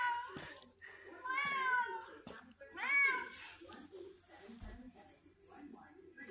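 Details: Indoors, Pumpkin, a sweet and vocal red tabby cat, answers with two clear arched meows, the first long and wavering, the second shorter, while a person speaks to her in a small room.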